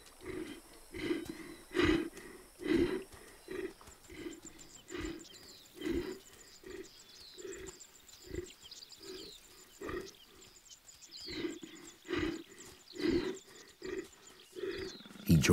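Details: Young wild leopard hunting with his sister in the Serengeti savannah, Africa, facing porcupines; a long series of short, low grunting pulses repeated roughly every second, with occasional scraping rustles and a loud clatter at the end.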